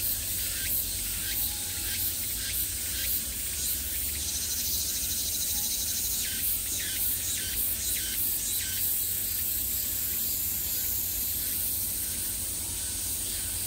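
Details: Cicadas in high summer fill the air with a constant sizzling buzz, broken by clusters of brief rising pulses that come in bursts about twice a second, then thin out toward the end.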